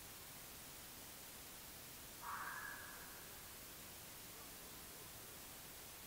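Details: Red fox captured by an AudioMoth field recorder, file dated 9 March 2024 at 19:00: a single short, rising, slightly harsh call lasting about half a second, set against a steady background hiss.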